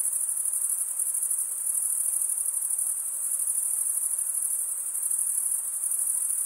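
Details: Crickets chirping steadily, a dense, very high-pitched pulsing trill that runs without pause, with a soft hiss beneath and no other clear sounds.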